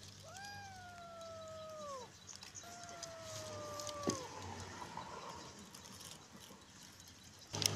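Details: Small abandoned kitten, hungry and scavenging through rubbish on the street, cries with two long drawn-out meows, each holding steady then sliding down, about two seconds apart; low background hum and faint street noise.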